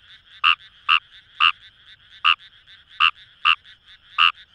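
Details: Fejervarya kawamurai in flooded rice fields at Itoshima, Fukuoka, Japan: short, bright croaks at uneven intervals of about half a second, with a soft background chorus of many more frogs.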